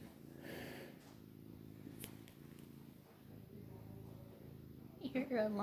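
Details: Lazy male Maine Coon cat with long hair purring in a low, rapid, buzzing rumble, breath by breath, before a woman starts speaking near the end.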